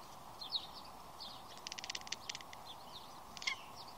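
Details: A black domestic cat watching birds chatters in a fast, clicking "machine gun meow" burst, with small birds chirping around it.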